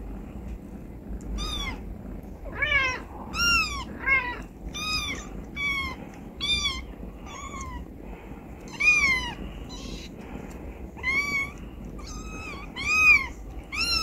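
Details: Stray mother cat Charlie with her three tuxedo kittens and one black kitten, kept indoors after being born in a car bumper; a long run of high arched meows, often two or three in a row, over a faint hum.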